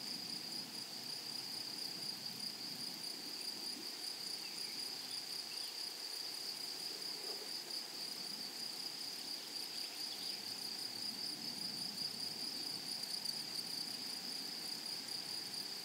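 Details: A flowery meadow is full of grasshoppers giving an even, piercing, unbroken buzz with a softer echo-like band above. Gentle low murmurs drift beneath the insect chorus.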